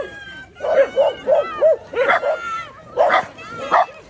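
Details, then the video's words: A Shiba Inu confronting a gorilla gives high yelping barks and whiny, bending yips in quick clusters, some sliding up and down in pitch. "ゴリラ vs 柴犬"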